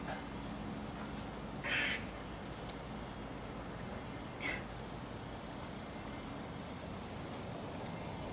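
An eastern gray squirrel gives two harsh, rasping calls a few seconds apart over steady background hiss.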